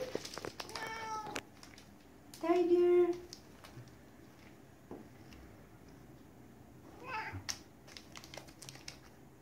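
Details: A female Siberian cat gives soft, harmonic meows to ask for a chocolate-type treat stick while a person talks to her nearby.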